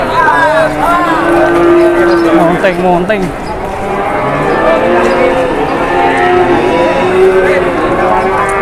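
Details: Indonesian cattle during haggling, with a cow gone wild and charging. A long low moo sustained for about two seconds, bending notes around three seconds, then softer repeated lowing under people talking.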